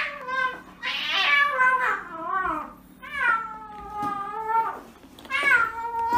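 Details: A cat being given an injection meows repeatedly: four plaintive, wavering cries at uneven intervals, some rising then falling, heard indoors.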